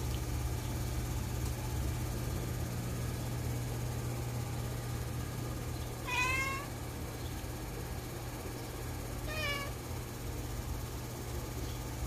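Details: Shadow, a loafing cat with feet curled under, meows twice several seconds apart. The first is a longer, bent cry and the second is a shorter, higher call, both over a constant low hum.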